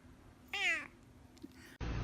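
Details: Domestic cat giving one short harmonic meow, dipping then falling slightly, in a quiet indoor room; a soft click follows and a burst of music cuts in at the end.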